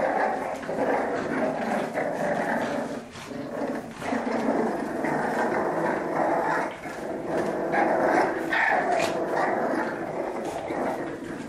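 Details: French Bulldogs in a play fight over who is strongest, growling almost without pause; rough, raspy snarls with quick huffs and occasional short yips.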